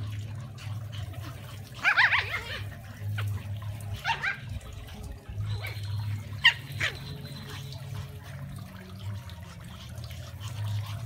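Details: Brussels Griffon hunting dogs giving short, high yelping barks in three separate bursts about two seconds apart, over a steady low hum and faint background noise.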